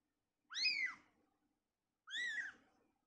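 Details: Newborn kitten separated from its mother, two high arched mews about a second and a half apart, softer and with a low background hum beneath.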